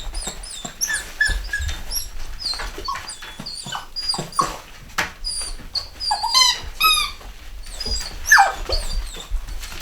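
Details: Chocolate Cockapoo puppies, a Cocker Spaniel and Poodle cross, from a UK home-bred litter of boys and girls in 2015, squeaking and whimpering constantly, with thin high yelps tumbling over one another and a few louder squeals.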